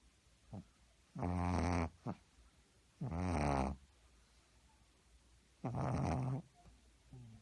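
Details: A sleeping pug snores heavily indoors: three long, loud, rough rasping breaths about two seconds apart, each low and harmonic-rich, with softer short snorts between them.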